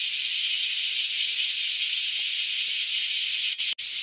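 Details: During persistent hot weather, many bear cicadas sing together close to a home. A harsh, intense, high-pitched drone with fine rapid throbbing runs steadily, broken by a couple of quick dropouts near the end.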